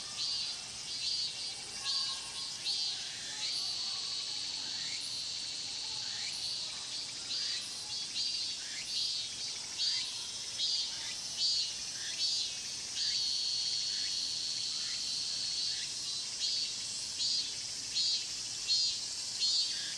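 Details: Cicada chorus in the Mokgye pine grove at Cheongsong, recorded with a Panasonic LUMIX GX9 camera: a constant high buzzing drone punctuated by regular pulsing swells roughly once a second, with faint lower chirps underneath.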